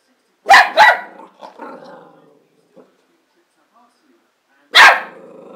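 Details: A Border Terrier barks twice in quick succession, goes quiet with a soft grumble, then lets out one more sharp bark.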